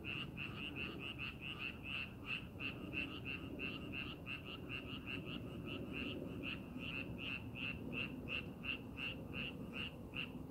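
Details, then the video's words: Frogs calling from rice paddies being prepared for farming, set in scenic countryside: a dense chorus of short pulsed croaks repeating rapidly and steadily, roughly three per second, over low rumbling background noise. "농사준비하는 논에서 개구리 울음소리"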